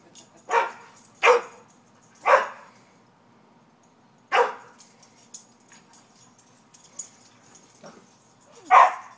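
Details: Two dogs playing in a backyard: sharp, loud single barks, a close pair near the start, then more spread out every one to two seconds, with quieter yips and soft scuffling between.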